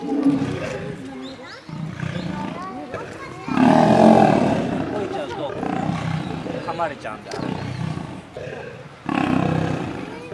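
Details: Male lion attacked by lionesses: harsh snarling and growling throughout, with a loud drawn-out roar near the middle and another forceful burst at the end, the bouts separated by brief lulls.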